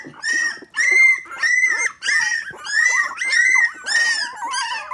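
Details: Three-week-old Miniature Pinscher puppies, indoors and still nervous, finding their voices: high, wavering whines and squeals in a series of roughly half-second cries with short gaps, some bending up and down in pitch.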